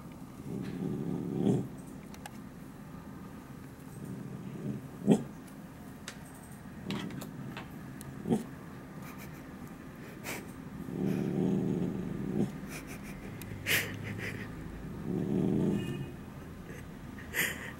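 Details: Pet dog Dalli indoors, recently moved to a new spot, looking out the window and barking at people passing on the street: low, muffled woofs and growly bursts in irregular clusters. A person's soft voice and laughter are heard.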